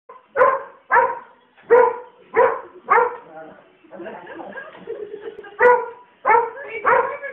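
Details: German Shorthaired Pointer; bark; angry barking at a helicopter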